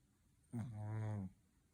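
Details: A sleeping Shih Tzu puppy on a daytime nap gives one drawn-out, low, droning snore lasting under a second. The tone is steady and rich in harmonics, set against a quiet indoor room.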